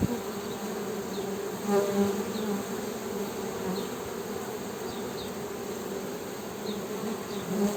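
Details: Honey bee humming as an unbroken low buzzing drone that swells briefly near two seconds and again at the end, over faint scattered high chirps.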